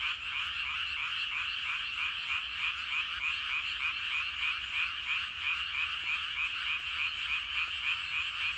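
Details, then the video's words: Rice paddy frogs in full evening chorus, a large crowd calling; rapid repeated croaking pulses, roughly three per second, layered into a constant, rhythmic drone with no pauses. "저녁때 논에서 개구리 울음소리가 대단합니다. 개구리들이 엄청 많은가봐요!"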